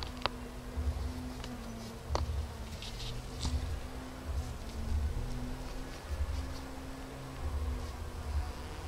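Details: Continuous low buzzing from a busy bee, an even hum whose pitch dips slightly now and then, with pulsing low rumbles and a couple of sharp clicks early on.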